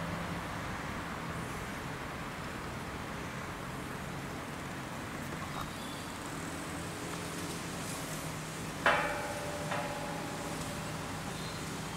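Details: Steady outdoor hiss and road traffic hum, with a single sharp knock and a fainter one later, and no animal voice.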